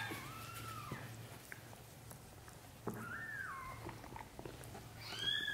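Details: British Shorthair kitten, one of a litter of three sons and a daughter, growing up from birth to 30 days. Three clear, arched mews are spaced a few seconds apart, the last higher and thinner, over a low indoor hum.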